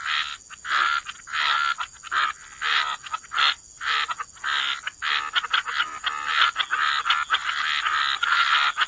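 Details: Wetland frogs croaking together at the water's edge, rough bursts of calls coming in uneven clusters, several callers overlapping, a constant high-pitched hiss running underneath.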